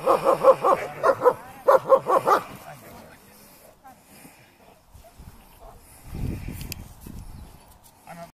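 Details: German Shepherd at protection training barking rapidly, about seven loud rough barks in the first two seconds, then quiet with a low rumble and faint voices.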